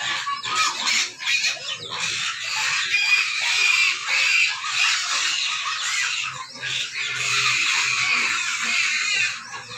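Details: Pig. Hungry pigs keep up a constant din of high, piercing squeals and shrieks that run together without a break. A few lower grunts now and then come through under the shrill chorus.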